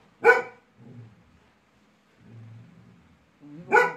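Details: A pet Labrador Retriever, irritated by a small toy, lets out one loud bark, then low grumbling sounds, and a second bark at the end.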